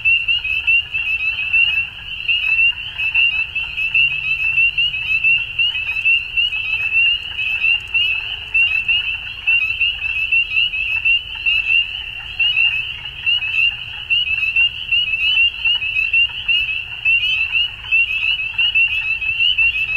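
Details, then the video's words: At dusk in spring in Ontario, Canada, countless frogs call at once, producing a piercing, steady high ringing laced with rapid peeping notes and a soft, lower murmur of croaks. "Frog Sounds At Dusk"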